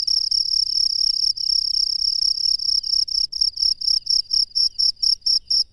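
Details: Cricket chirping in the wild at night: a shrill high-pitched trill, steady at first, then breaking into evenly spaced pulses about five times a second; no other sounds intrude.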